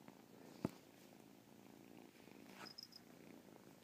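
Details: Domestic cat purring softly, a chirp said to be heard in the purr; quiet low rumble with a sharp click early on and a few brief high chirp-like notes near the end.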